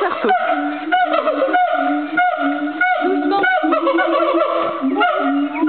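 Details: An agile gibbon at Fota Wildlife Park sings loud, hooting notes, some held steady and others swooping upward.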